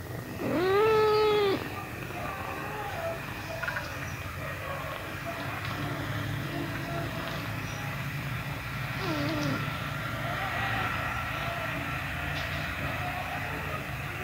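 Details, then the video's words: Pet cat at kitten feeding time: a single loud, drawn-out meow of about a second, arching up and then down, followed by quiet with a steady low hum in the background. "My pet Cat | kitten feeding"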